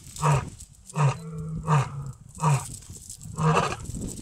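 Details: Huge white lion seen during a safari game drive. A run of five deep, short grunting roars, repeated about every 0.7 seconds, with low rumbling in between.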